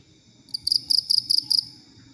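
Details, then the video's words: Cricket used as a tutor sound for songbirds; a short burst of about six shrill, high pulsed chirps in quick succession, then silence. "Suara Jangkrik Cocok Buat Masteran Murai Batu, Cucak Ijo, Konin"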